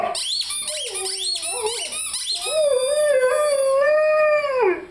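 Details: Lyle, a five-month-old Rhodesian Ridgeback, howls along with his squeaky chicken toy; rapid high squeaks at first, then a long steady mid-pitched howl that holds and drops away at the end.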